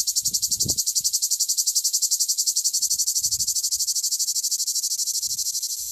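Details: Male cicada singing in southern France: a loud, dense buzzing pulsed in a steady throb at about the same rate throughout, with faint low thumps underneath.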